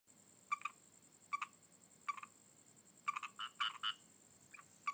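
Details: Frogs calling: short clicking croaks with ringing overtones come singly or in quick doubles about once a second, then a brief cluster of fuller, nasal notes, over a steady high electronic whine and a quiet background.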